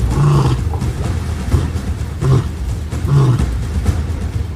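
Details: Deep grunting lion roars from a pride documentary in Africa, in three or four short bursts spaced about a second apart, each low and harmonic-rich, with background music running underneath.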